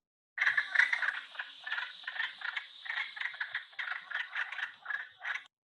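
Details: Wood frogs (Lithobates sylvaticus) call in a chorus of rough, clucking croaks in quick succession, sounding much like quacking ducks.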